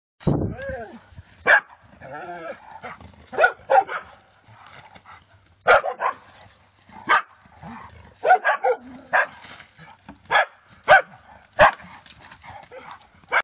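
A bloodhound gives sharp, irregular barks, with human voices talking between them.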